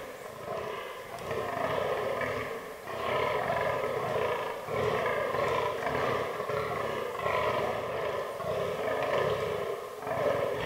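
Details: Groaning fallow deer bucks in the autumn rutting season, in a forest herd with albino and black bucks. A continuous chain of low, guttural grunts pulses quickly and evenly, loud and close.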